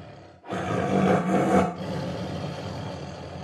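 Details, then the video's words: A single sustained tiger roar lasting over a second, rough and full-bodied with a deep droning core, swelling slightly midway before trailing off into a low rumble. "Som de Tigre"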